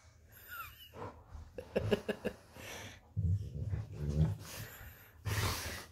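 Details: Golden retrievers wrestling playfully on a bed, one named Funshu; a deep, throaty growl rolls through the middle seconds between wheezy snorts and huffing breaths, ending in a sharp rustle.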